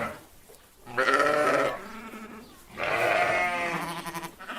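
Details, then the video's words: Sheep bleating: two drawn-out, wavering bleats of about a second each, separated by a quieter pause, with rich harmonic tone and a slight tremble through each call. "صوت الغنم الخرفان"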